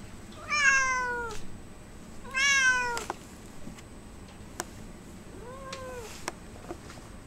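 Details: Domestic cat shut in a kennel, recorded on 25 February 2009, nervous and wanting out: two loud, drawn-out falling meows rich in harmonics about two seconds apart, then a softer, shorter meow near the end; faint background hum.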